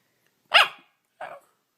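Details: Domestic dog in a compilation of funny, weird dog noises: two short, harsh barks, the first louder and broader, the second softer and clipped about two-thirds of a second later, with silence around them.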